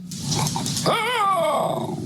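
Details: Basenji, a talkative breed with high-pitched sounds, played back: a warbling, wavering yodel that rises and then slides downward over about a second, over a rough background rumble.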